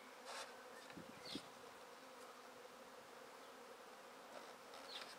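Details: Swarming honey bees being taken into a swarm basket from a tree hum steadily and evenly, overlaid by a few soft high bird chirps and brief bursts of rustling and knocking.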